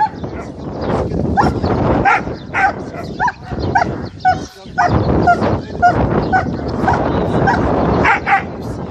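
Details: German Shepherd Rambo, a beginner in aggression training at a dog-training centre in Damanhour, Egypt, barks aggressively in loud, rapid bursts mixed with yips and whimpering whines.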